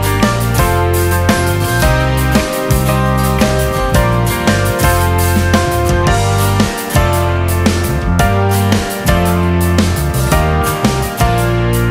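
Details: Upbeat guitar music with steady rhythm fills the whole stretch, with no animal sound.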